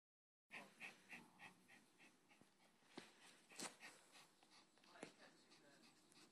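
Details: Female Yorkshire Terrier panting while holding a ball: rapid breathy pulses, about three to four a second, crisp and regular at first, then softer and less even, with a few sharp clicks and knocks in a quiet room.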